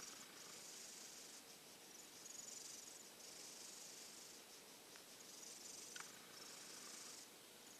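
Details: Sluggish silver tabby cat, nearly over a cold but without appetite, snoring while resting in a hot-dog bed: airy hissing breaths swell roughly every two seconds, plus a couple of small ticks.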